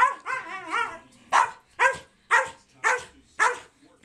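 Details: Two American Eskimo Dogs play fighting indoors; a wavering, yodel-like whine-growl for a second, then five sharp barks about half a second apart.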